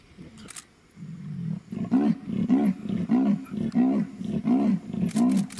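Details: Leopard at night in Mashatu, tracked at sundown on muddy ground after recent rain: a series of deep, rasping sawing grunts, about seven strokes roughly every half second, each a harsh low pulse; faint insect or bird ticks above.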